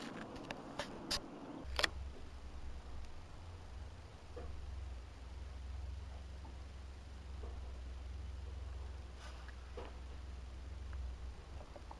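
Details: Quiet room tone with a steady low hum and a few handling clicks and taps, with no animal sound.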